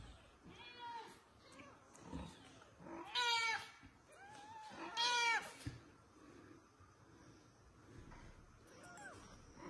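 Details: A mother cat asking for her kitten, giving several harmonic meows, two loud drawn-out calls near the middle and softer ones before and after, with faint background noise.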